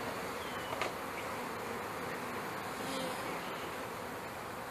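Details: Steady massed buzzing of package honey bees going into a hive in May 2013, some crawling on a sugar-coated hand; a broad, even drone with faint higher wingbeat tones drifting in and out over nearly five seconds.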